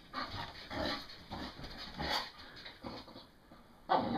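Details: English bull terrier getting rowdy on a bed after a shower: bursts of breathy panting and snuffling noises in short irregular bouts, with a sharper louder burst at the end.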